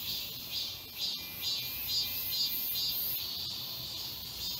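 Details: Summer cicadas in chorus in the woods of Galsan Park, Seoul, Korea: shrill electric buzzing that throbs in rhythmic surges about twice per second over a steady high hiss.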